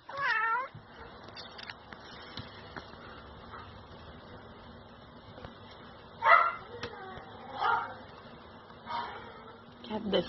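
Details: Tiny kittens of a Siamese mother's first litter, born 3 December 2016, mew in short bursts: one at the start, then a cluster of three later on, with soft human voices and indoor rustle in between.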